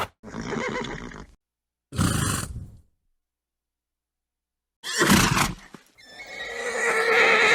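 A horse gives several breathy, forceful snorts, then breaks into a wavering, tonal neigh.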